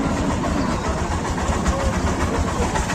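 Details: Steady rumbling engine and traffic noise fills a cattle market in Dhaka, Bangladesh, with no animal voice standing out.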